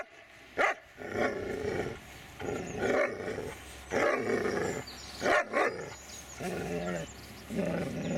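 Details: Dobermann Magmar von der Burgstätte alternating a couple of sharp barks with longer rough, rumbling growl-like vocal bursts, irregularly spaced over several seconds.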